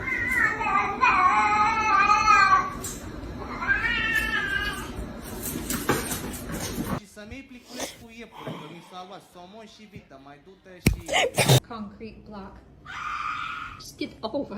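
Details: Domestic cat giving long, wavering, drawn-out yowls in two bouts, the first lasting over two seconds, the second shorter, followed by a sudden bang, people talking and laughter.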